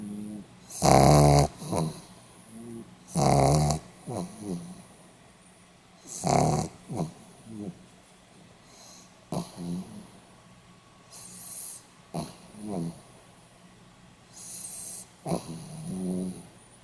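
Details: Pomeranian dog asleep and snoring, recorded 8 November 2015; heavy rasping snores at roughly 1, 3.5 and 6.5 seconds give way to a run of softer, shorter snorts and wheezing breaths.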